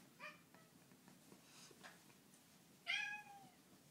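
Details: ['Sneak the cat, roughhoused by Ash, lets out a short faint mew early on, then near the end a bright, strong meow that bends down and trails off, amid quiet rustling.']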